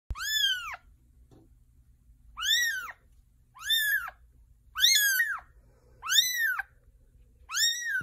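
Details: A domestic kitten being bathed protests with six loud, arching meows that rise then fall. They come roughly every one and a half seconds, with near silence between them.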